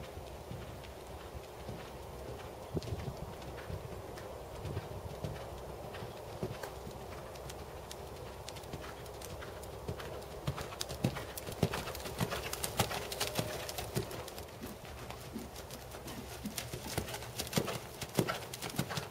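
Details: Tobias, a big black 7-year-old Percheron/Thoroughbred gelding standing 16.2 hands, schooled to 2nd Level dressage, working under saddle. Hoof strikes land about 102 times a minute in an uneven rhythm and grow louder and denser after the midpoint.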